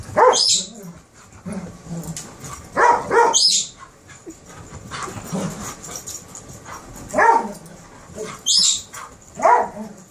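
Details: Terriers playing, a Kerry Blue puppy and an Airedale. Scattered sharp barks with squeaky high overtones stand out against a hissy background, spaced irregularly every one to two seconds, with low scuffling and growly noises between.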